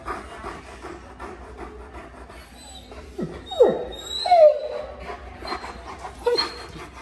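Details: Alaskan Malamute at the vet's office, chatting with the staff: short sharp whining yelps and a bent vocal slide in the middle, amid rustling, people talking, and music.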